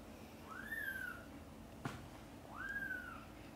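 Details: Mother cat calling her kittens, busy playing and sleeping, to wake them for lunch: two arched, whistle-like mews that rise then fall, spaced about two seconds apart, with a single sharp click between them in a quiet room.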